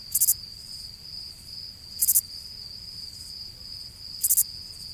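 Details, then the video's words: Cricket calling: a constant high-pitched whine underlies bright triple-pulsed chirps that come roughly every two seconds, three bursts in all, over a soft low rumble. "Cricket Sound Effect"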